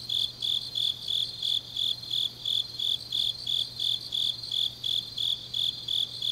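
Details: Late-night autumn grass insects from Changnyeong in South Korea: sharp, high pulsed chirps in a steady rhythm near three per second, with layered fainter insect buzzing and a quiet low drone beneath.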